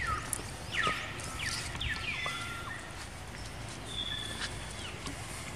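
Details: Baby monkey Jinx, a female, crying after being attacked by another monkey named Spring: a run of high, tonal whimpering cries, some dropping sharply in pitch, others held flat, with overtones, over faint outdoor background noise.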